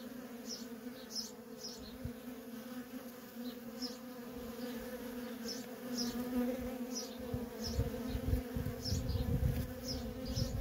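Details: Worker honey bees in nonstop traffic at a feral colony give a steady buzzing drone, growing louder toward the end with heavy low rumbling, while faint high chirps repeat above.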